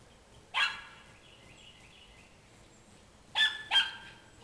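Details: Miniature Schnauzers let out the back door to chase squirrels; three sharp, high barks, one alone and then two in quick succession about three seconds later.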